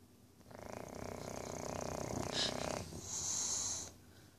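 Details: Talisker, a tricoloured English Bulldog male, snores during an evening nap before bedtime, with a rattling, fluttering inhale followed by a breathy, whistling hiss.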